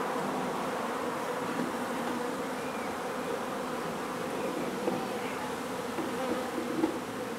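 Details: Steady, even hum of a honey bee colony being relocated from a renovated old home in Donna, Texas, with its queen found. A continuous low buzz fills the whole stretch with few interruptions.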